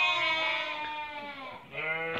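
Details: Merino sheep in a flock for export from Hungary to Türkiye give a long steady bleat that fades, then a fresh bleat starts sharply near the end.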